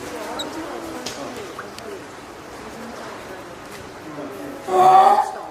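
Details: Hand-reared female spotted seal pup, born 19 April to Komachi and Goku, at Oga Aquarium, Japan, on 9 May 2017; one loud, harmonic wailing cry near the end, after quiet background murmur of visitors indoors.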